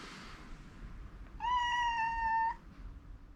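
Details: Rescued house cat calling to rouse an owner who overslept, anxious and persistent: one clear, sustained meow about a second long, steady in pitch with a slight dip at the end, over faint low background rumble.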